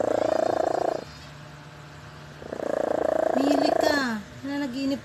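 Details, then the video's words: Sleeping cat Leah snores: two rough, fluttering breaths about two seconds apart, the second followed by a short squeaky tone that bends down and then levels off. "FUNNY CAT LEAH SNORES WHEN HE SLEEP"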